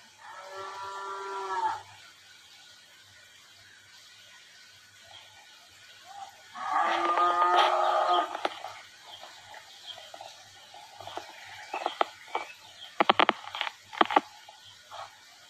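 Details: Cattle being worked at Rancho La Tijera in Valle de Zaragoza and Huejotitan, Chihuahua, Mexico, to pick future commercial breeding cows. Two long, rich, steady moos of about two seconds each, separated by a quiet gap, then sharp metallic clanks and knocks.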